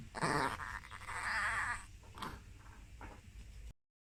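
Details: A Chihuahua indoors, unable to resist going onto the bed, gives a drawn-out wavering cry lasting over a second, followed by two short rising yelps, with faint room noise underneath.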